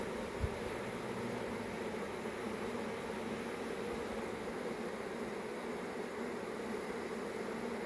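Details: Honey bee swarm, a dense, steady buzzing drone held without a break, with a broad hiss layered over a low hum and no clear pauses or other animals.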